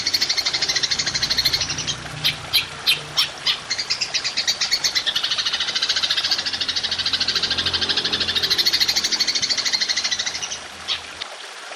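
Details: Long shooting call of a golden grasshopper for songbird training: a continuous high buzzing trill with distinct clicking pulses breaking through, over a low hum, ending abruptly.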